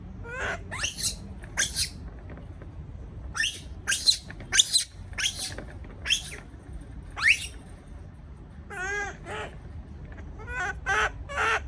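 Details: Baby monkey left alone in a cage, frightened: shrill, high squeals and harsh screeches come in bursts, several rising or wavering with stacked tones, about a dozen cries over the stretch, with a low background hum.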